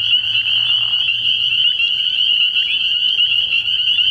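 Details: Spring peepers at a nighttime frog pond early in the year produce a shrill, tightly packed chorus of high peeps, opening with a short lower raspy sound during the first second.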